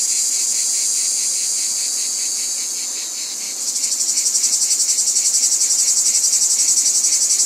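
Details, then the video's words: Cicadas droning in a smooth, high buzz that dips slightly, then swells into a strongly throbbing chorus pulsing roughly four times per second. "Cicadas | Black Screen Sounds"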